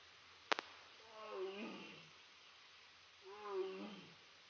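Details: Tiger named Aria at Big Cat Rescue demanding snacks, giving two drawn-out, harmonic, moaning calls about two seconds apart, each swelling then fading, preceded by a couple of sharp clicks.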